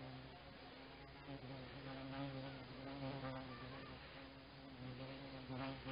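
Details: Mosquitoes pester a walker beside a floodplain lake with an island on the Desna river at Zhukovka, giving a steady, droning insect hum with layered harmonic tones that swells and fades slightly throughout, over faint outdoor background noise.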